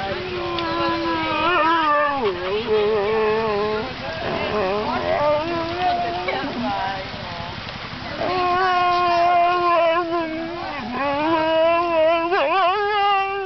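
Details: Bongo, a Saluki waiting impatiently for lure coursing, sings in long wavering howls that dip and rise, with a break mid-way before a second drawn-out, quavering stretch; steady background noise throughout.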